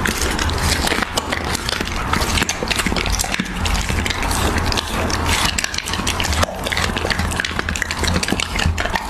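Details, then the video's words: Husky chewing raw beef up close: rapid wet crunches and sticky smacks packed tightly together with no pauses, a low droning hum running beneath throughout. "Husky ASMR | Mukbang eating raw beef"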